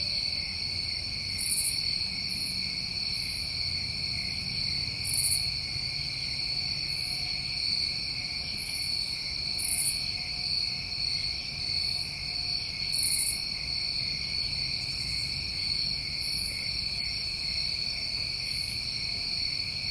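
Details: Summertime crickets recorded in New England: an unbroken, layered high-pitched trilling drone, punctuated roughly every one to three seconds by short, sizzling bursts even higher in pitch.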